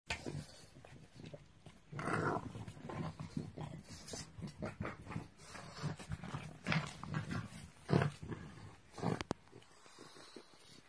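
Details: A pug growls in low, rumbling bursts, angry that another pug stole its snack and is ignoring it.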